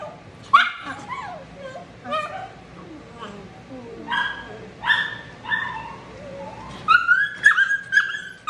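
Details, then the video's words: Matted Shih Tzu that bites from pain, vocalizing during drying. Falling whimpers and clipped barks alternate, with a quick run of three high yelps near the end and faint human voices beneath. "Drying Shih Tzu who bites"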